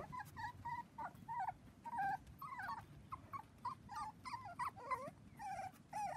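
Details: On a trampoline with children, seven 4-week-old Dachshund puppies let out short, soft squeaky whimpers in separate bursts roughly every half second, some wavering, over a low murmur of movement.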